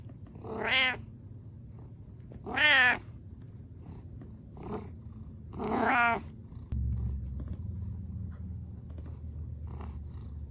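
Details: Pet cat giving three loud, strained, wavering meows spaced about two seconds apart, with softer short chirps between and a low rumbling hum behind.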